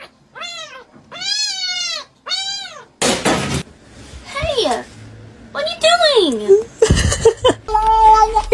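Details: Domestic cat meowing in a room, several long rising-and-falling meows at the start, later mixed with a person speaking, loud bursts and music.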